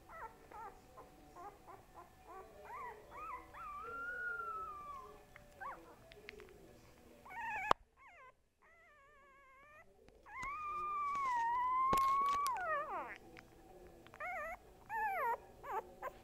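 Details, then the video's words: Dog named Boo Boo, described as getting big, giving a series of drawn-out, wavering whines and howls that rise and fall, with short yips between. A brief quiet gap comes midway before louder sliding howls resume. "BOO BOO makes noises"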